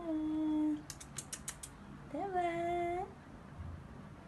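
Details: Scottish Straight cat meowing: a long steady meow, then a rising-falling meow after a burst of clicking taps, with faint background noise.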